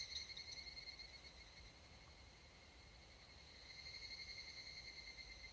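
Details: Higurashi cicada (Tanna japonensis) singing at dusk in Japan's summer mountain forest: a steady high, ringing tone with a harmonic below, swelling in pulsed waves at the start and again toward the end, over quiet forest ambience.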